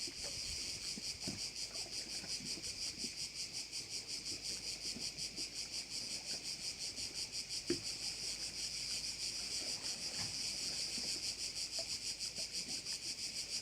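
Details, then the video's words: Crickets by a bay on Korčula: a dense chorus of many insects makes a steady, high, shimmering buzz that pulses about three times a second throughout, with faint low knocks and rustles underneath. "Korčula - view of one of the bays in Korcula with sounds of crickets"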